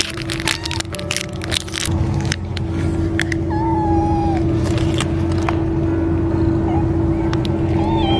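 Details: Kittens patterned like American Shorthairs, pressed against their mother for warmth while being fed: brief mewing cries, including one drawn-out wavering meow midway, against a constant humming drone and clattering knocks.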